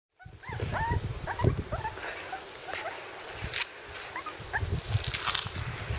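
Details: Cairn Terrier puppies from two litters, six and seven weeks old, playing together outdoors on a field in sunshine; short rising yelps and squeaky whines crowd the first second and a half, then scattered faint squeaks over rustling and thumps.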